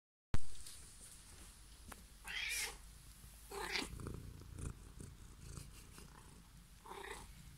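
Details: Siamese (Thai) cat, a chatty pet, recorded in December 2020. A steady low rumbling purr continues throughout, broken by short bright chirping meows near two and a half, four and seven seconds.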